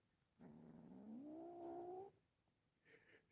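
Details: Kitten calling while playing during a class: one drawn-out, quiet, rising moan lasting under two seconds, followed by a faint brief higher sound.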